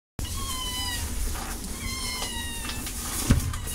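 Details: A cat meowing in a few drawn-out, falling, tonal cries over a steady low rumble of background noise, with a brief knock near the end.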